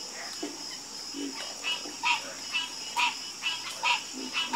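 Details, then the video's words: Chorus of frogs croaking: short harmonic calls repeat roughly once a second, with lower croaks beneath and a steady high insect-like drone throughout. "Calming Sound Of Harmonious Frog Croaking"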